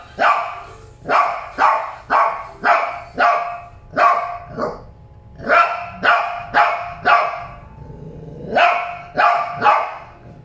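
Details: Shih Tzu dogs barking in a rapid series of sharp, bright barks, roughly two per second, in bursts with a brief pause before a final run of barks.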